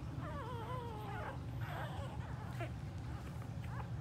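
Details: Staffordshire Bull Terrier puppies whimpering: a long, wavering high whine slides downward over about a second, followed by several shorter squeaky yelps, all over a steady low background hum.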